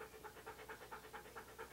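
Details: Siberian Husky named Key, posing for a photoshoot in hats and clothing, pants quietly in steady, even breaths, about four to five huffs per second, with no other sounds intruding.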